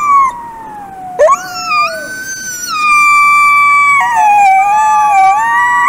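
A wolf gives a long, smooth howl that slides down, jumps up, then holds steady.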